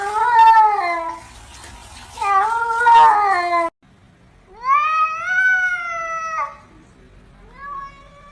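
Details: Domestic cats meowing indoors: a pair of long, wavering, descending meows in the first half, then a loud rising-and-falling meow and a shorter, fainter final meow after a brief silence.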